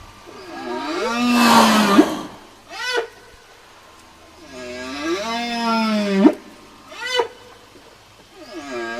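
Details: Whale song for communication, repeated pattern of long arching moans with noisy, roaring overtones, each followed by a short sharp upswept squeal, roughly every four seconds.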